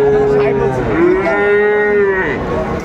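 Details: Sahiwal bull calves, about seven to eight months old, at a cattle market on 16 April 2024, traders buying for resale; a sustained, even, harmonic moo lasting about a second, preceded by a shorter call, with market voices behind.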